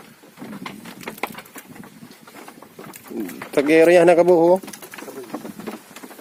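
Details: Kibas sheep, a fast-growing farmed breed raised for three-month harvest: one clear, tremulous bleat lasting about a second, surrounded by low clatter and rustling.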